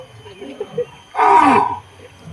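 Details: A lion in Taiping Zoo gives one short, rough roaring burst that falls slightly in pitch, over faint crowd murmur.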